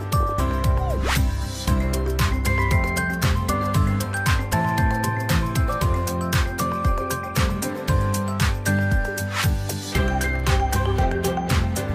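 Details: Loud background music with steady beats and sustained tones fills the whole stretch; no animal voice.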